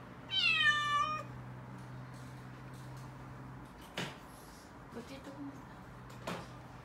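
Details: Mikene, a female calico kitten aged six months, hides and cries in panic at delivery men bringing a fridge. One wavering, strained meow opens the clip. Later come a couple of sharp knocks and faint shuffling.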